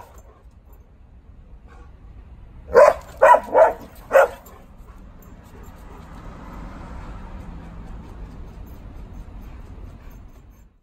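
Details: Playful chase between two Bernese Mountain Dogs, nine-year-old female Oleo pursuing Leon, recorded 24 July 2019 in a calmer third round. Four quick, loud barks in a row, then only a soft low rumble of background noise.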